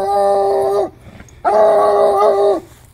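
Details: A Bluetick Coonhound bays at a skunk, giving two long, mournful bays, each held steady and then dropping; the dog gets sprayed.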